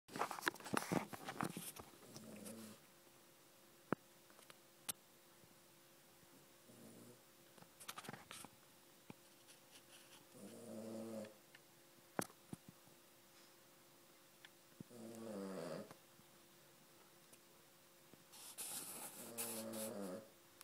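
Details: Small female Cavalier King Charles Spaniel snoring indoors: low, rough, buzzy snores roughly every four to five seconds, separated by quiet breathing, with scattered sharp clicks and rustling bursts.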